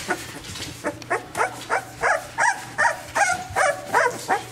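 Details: XL American Bully puppies, chocolate tri merle males, give a run of sharp, high barks and yips at a steady pace, about three to four a second, with a low steady hum underneath.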